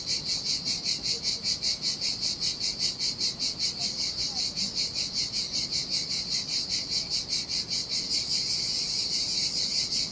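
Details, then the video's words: Cicadas singing in summer heat along a desolate Sardinian beach: piercing, buzzy pulses repeated about every 0.4 seconds, merging into a continuous whine near the end, gentle surf beneath. "Ocean Waves & Cicada Sounds - The Most Relaxing Waves Ever - Cicadas by the Sea"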